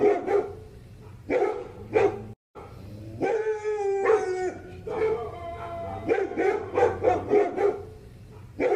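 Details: A poodle yaps in short bursts, breaks off into a long wavering whine, then returns to a fast series of sharp barks.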